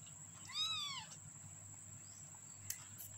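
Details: A 15-day-old kitten gives one thin, arched mew lasting about half a second, rising then falling in pitch with clear overtones, over a steady electrical hum, followed by a brief click.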